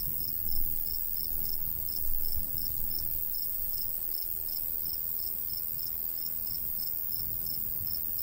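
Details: Crickets in a summertime countryside wheat field, light breeze: even, rapid high chirps repeating about three times a second, with two brief louder low gusts early on and a steady wind hum.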